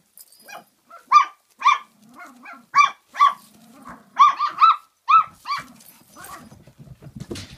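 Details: Forty-eight-day-old Kooikerhondje puppies at Kennel Duckhills, Sweden, trading sharp, high yapping barks in irregular clusters of two or three, with low grumbling growls in the gaps and some rustling near the end.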